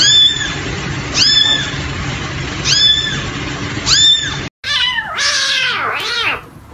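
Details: Kitten producing a series of four sharp, high mews about one second apart, then after an abrupt cut a fuller, wavering, drawn-out meow rising and dipping twice.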